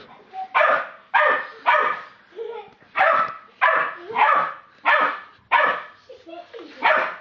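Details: A 12-week-old Staffordshire Bull Terrier puppy barks at an Old English Sheepdog in sharp, rasping bursts, roughly two each second.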